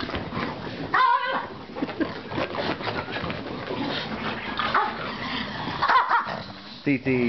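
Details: Pugs and Pekingese playing and running around: short high whimpering yips near one second, six seconds and at the end, over ongoing scuffling and a person talking.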